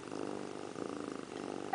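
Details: Cat named Indiana Piano Rabbit, sitting in the bathroom sink and grooming, gives a steady rhythmic purr, low and even, ending in a brief high chirp.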